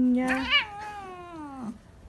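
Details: Domestic cat in a home compilation of cats slapping people, giving a drawn-out tonal meow about two seconds long that brightens briefly near the start, then slides slowly downward and fades.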